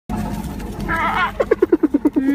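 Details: Hyena. A hyena calls with a brief rising and falling wail, then a rapid, chattering series of short notes that drop in pitch and trail into a steady tone. Background noise runs throughout.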